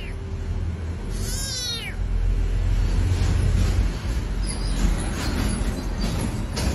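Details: Domestic cat with a dramatic streak giving one brief, bent meow near the start, followed by heavy low rumbling noise with no further calls.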